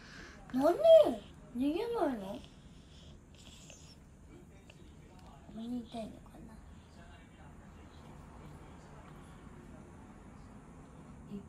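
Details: Norwegian Forest Cat meowing affectionately as it hugs; two arched, rising-then-falling meows in quick succession, then near silence and a faint human voice.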